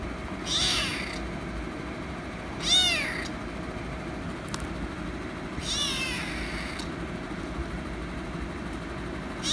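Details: After attacking a cat, a kitten repeats short high meows roughly every two to three seconds, four calls in all, the second loudest, with faint clicks and low room noise beneath.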